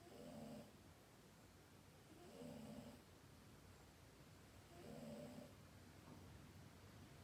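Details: Snoring from a sleeping pet cat: three gentle, raspy breath sounds spaced roughly every two and a half seconds, low and buzzy with a breathy top, over quiet indoor background noise.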